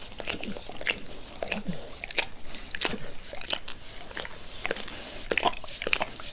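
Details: Max, a pet dog, licks his owner's face with zeal in a quiet room; close, moist lapping and smacking bursts come several per second, crisp and uneven, with no voices.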